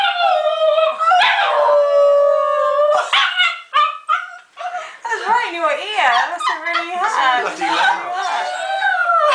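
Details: Border Terrier singing during play with its owner: a long steady howl, then choppy, rapidly wobbling yodel-like notes, with a human voice talking alongside the dog.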